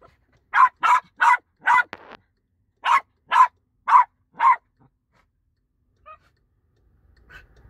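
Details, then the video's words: West Highland White Terrier barking loudly in short sharp bursts: four quick barks, a pause of about a second, then four more at roughly half-second spacing, followed by near silence with a faint yip. "Loud funny dog video."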